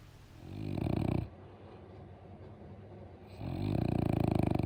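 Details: French Bulldog kept as a pet, snoring loudly indoors: two long, deep, rasping snores with a rattling texture, separated by a quieter breath of about two seconds.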